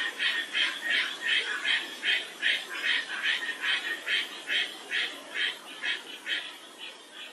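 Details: In mid-May, a Japanese tree frog calling actively near a pond at Toyota City Nature Observation Forest, Aichi, around the start of spawning season, gives rapid, raspy quacking notes, about two or three each second, in a steady series.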